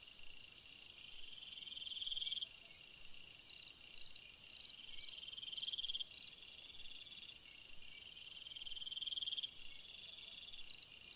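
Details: On a summer night a cricket sings bursts of short pulsed chirps, roughly two per second, with pauses between runs and a continuous high buzz of other insects behind.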